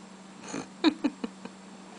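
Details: Izzi-Wink, called Winky, a talkative female rescue cat that is adept at chirping, gives a short run of four clipped chirps about a fifth of a second apart, each quieter than the last, indoors, after a woman scolds her nervous scratching habit.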